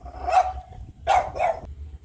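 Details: A pet dog in Thailand keeps barking while its owner tells it to be quiet: three clipped, mid-pitched barks, one alone followed by a quick pair.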